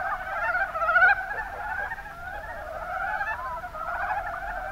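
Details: Mountain brown frogs in the Kuma Basin, Kumamoto, Japan, producing soft, low clucking croaks that blend into a continuous murmur, loudest in the first second.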